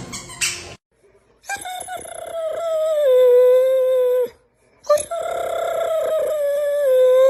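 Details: Pit bull howling in two long, sustained, tonal notes, each held for about three seconds and sliding slightly downward, with a rich stack of overtones and a short pause between them; a brief noisy burst comes before the first howl.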